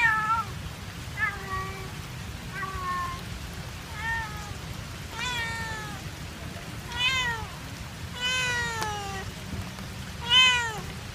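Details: A domestic cat left behind by its owner, meowing sadly at an ice cream stall in Kebun Raya Bogor, Indonesia. Repeated plaintive meows, about every second or so, some rising then falling, over a steady low rumble of background noise.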